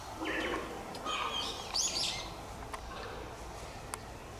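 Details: Cheetah at Tama Zoological Park, Japan, a cub of the cheetah Dura, giving short high bird-like chirps, a burst of several in under two seconds, with faint background voices.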